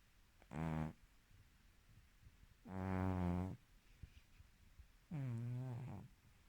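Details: A female Silver Spotted British Shorthair cat snores loudly while sleeping, in deep, buzzy rumbles that each last under a second.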